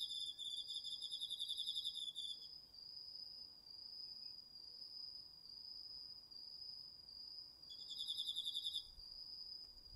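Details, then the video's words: Autumn night insect chorus, crickets among them, from a garden vegetable plot, captured with a DR-40X recorder; one insect holds a continuous high tone with short breaks as another gives rapid pulsed trills at the start and near the end. "秋の虫の声 ASMRでおやすみなさい 〜虫の音を枕元で聞いてね〜 こおろぎ他"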